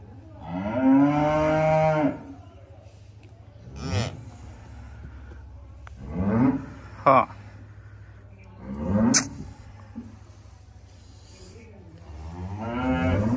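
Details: Calves enjoying themselves, with repeated moos: a long steady moo at the start, then shorter rising moos about every two to three seconds and a final moo at the end, with a sharp knock and faint voices between.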